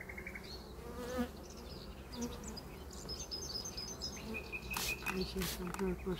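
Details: Bees at a hive during treatment and inspection on 6 May 2023, no queen cells present; a steady low droning hum strengthening into clearer buzzing tones near the end, with scattered bird chirps above.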